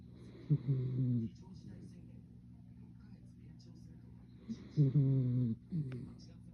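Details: Salt and pepper Miniature Schnauzer asleep indoors, snoring: two low, rough buzzing snores about four seconds apart, each near a second long, with a faint soft sound between them.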